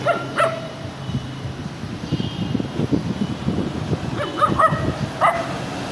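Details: A small dog yaps sharply at the start, then after a pause of low rumbling noise lets out a quick cluster of three or four high barks near the end.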